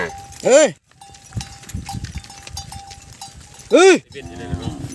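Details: Separated calves calling for their mothers, two short loud arched bawls about three seconds apart, with a steady thin tone and low rustling between them.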